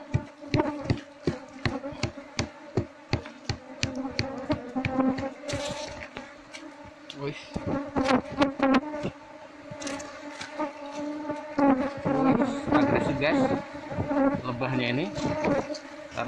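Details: Wild Asian honey bees (Apis cerana), described as mostly aggressive and stinging when their nest is disturbed, during harvesting of a wild hive: a droning hum with stacked overtones under rapid irregular clicks and taps, then denser, swelling buzzing.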